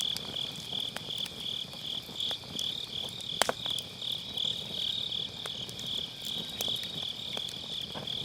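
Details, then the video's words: Grass insects on an autumn night beside a round fire pit, recorded with an MKE600 microphone using low cut: a steady high, shimmering trill runs unbroken, while sharp crackles and pops of burning firewood break in irregularly. "가을밤 풀벌레 소리"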